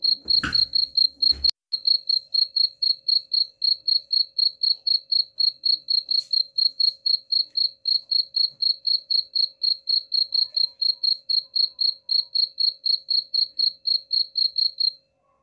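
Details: Chirping cricket, recorded as a rat repellent. A brief loud crackling burst opens the recording, then a long, even run of high pulsed chirps, about four each second, continues for roughly fourteen seconds with a faint background hum.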